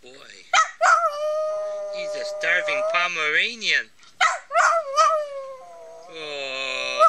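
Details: Nounour, a cuddly Pomeranian, howls indoors in long, drawn-out wavering tones that rise and fall, broken by short yelping bursts and pauses, with sustained whining notes toward the end.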